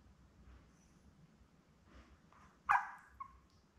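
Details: Newborn Labrador Retriever pup, one of seven born May 24, 2021 to mother Belle, lets out one sharp, falling squeal and a short second squeak after near-quiet shuffling, recorded indoors on a June 4 puppy cam.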